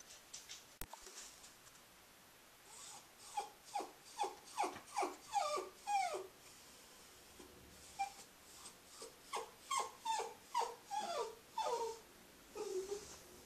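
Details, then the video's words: Female Cairn Terrier Scruffy carries her toy hedgehog around after dinner and whines in two bursts of short, downward-sliding whimpers, fairly soft, separated by a brief pause. "Aunt Duddie Has A Whiney Little Dog"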